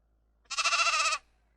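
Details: A single sheep bleat, a strong nasal, harmonic cry with a quavering tremble, about three-quarters of a second long, set in otherwise quiet surroundings in a children's lesson on animal sounds.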